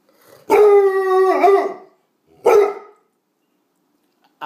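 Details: Female Bluetick Coonhound talking back to her owner indoors; one steady howling bay of about a second that bends downward at the end, then a short hoarse woof, close and clear.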